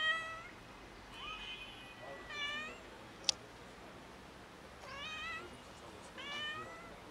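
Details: Several meows from a stray cat family living in a neighbourhood and fed by locals; five wavering, slightly rising calls over about seven seconds, with a single sharp click midway and a soft background hum.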